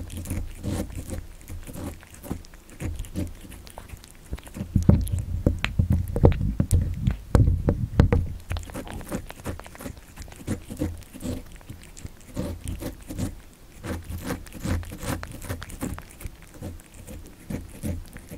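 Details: Young cat, born in December 2019, munching cat candy: rapid uneven crunches and licking clicks about three per second, a louder burst of biting near the middle, recorded close in a quiet indoor room.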